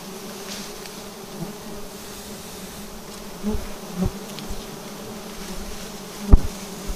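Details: Bees swarming around their nest on a vertical tree during honey harvesting, buzzing as a continuous low drone with a clear overtone; a few soft knocks and one sharp tap near the end.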